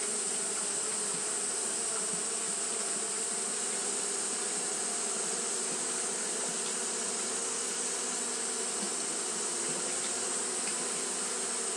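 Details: Japanese honey bees fanning continuously in hot weather; a rich, constant buzzing hum with slight flickers in texture and a steady high-pitched hiss throughout.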